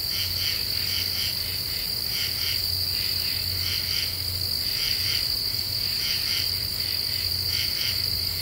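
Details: Several common true katydids calling after dark in eastern U.S. deciduous woodland in the Ozarks: short grating pulses in pairs and threes, repeated roughly every second, layered over constant shrill insect buzzing.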